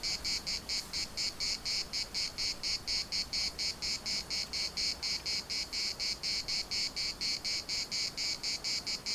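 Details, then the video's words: Cicadas singing at the municipal park in Larnaca: a loud, steady buzzing chorus pulsing in regular bursts about twice per second, high and shrill, with faint wind noise beneath. "CICADAS at the municipal Park Larnaca"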